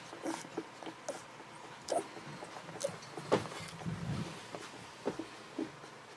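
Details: Golden Retriever puppies, 11 to 13 days old, from the litter of Aiko of Haarby and Lady Dina, giving short, scattered high squeaks and whimpers spaced about a second apart over a quiet indoor background.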